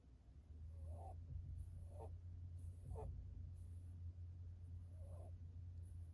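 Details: Ma-kun, a male pet rabbit under veterinary treatment, breathing with a stuffy-nose, congested sound during night-time play outside his cage. Soft snuffling wheezes repeat about once a second over a steady low hum.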